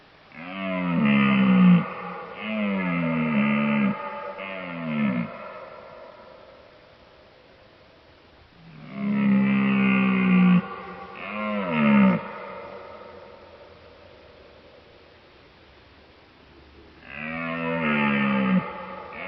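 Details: Bear calling in three bouts: clusters of short, wavering, nasal bawls with a falling end, each bout lasting a few seconds and separated by quieter gaps of several seconds.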